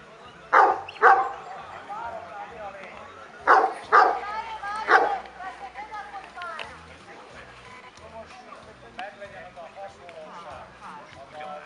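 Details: Barking at a 2017 Kuvasz club show in Kishegyes: two quick pairs of loud barks and a single later bark in the first five seconds, followed by crowd talk and murmuring voices.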